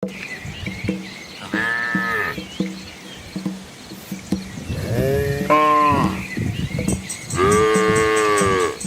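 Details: Asian village cows walking with their calves along a quiet rural road beside green rice fields; three harmonic, slightly arched moos about two seconds apart, the last two louder, over steady clopping, with a faint high ticking hum in the background.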